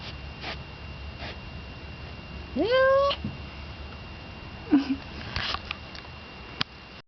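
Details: Thor, a neutered male cat behind a kitchen window screen, makes fighting noises at Yellow Cat, an unneutered male on the porch outside. A single short rising yowl, then a brief low chirp and scattered clicks and rustling.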